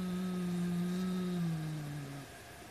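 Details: Possessive white Siamese cat over his black toy rat prey: one steady, deep, sustained growl that holds its pitch, then sags lower and fades out after about two seconds.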